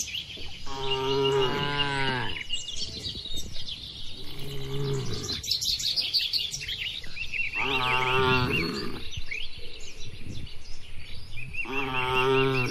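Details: In a peaceful Indonesian oil palm plantation, herded tame cattle low four times, each moo lasting one to two seconds with a rising then falling tone. Birds twitter steadily in the background.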